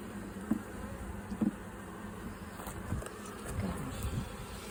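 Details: Kept honey bees swarming near a sayote vine as two queens split the colony; low droning hum with brief louder buzzes as single bees pass close, steady faint background noise.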